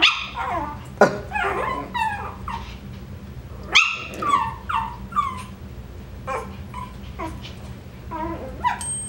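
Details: Coton de Tulear puppies, filmed for a puppy update on 21 September 2023, give a run of high, thin yips and whimpers, some rising then falling, roughly once a second, while people talk and laugh nearby.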